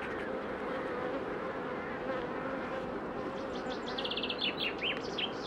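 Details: Honey bee queens under pre-narcosis before instrumental insemination: a steady buzzing hum fills the clip, with a bird's quick chirping notes near the end.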